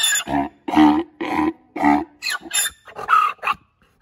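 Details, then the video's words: Male Grevy's zebra Kahlfani, aged seven, at the Los Angeles Zoo braying in a series of loud, deep, harmonic barking bursts roughly every half second, ending in squeakier, breathier gasps. "グレビーゼブラ カルファニの泣き声"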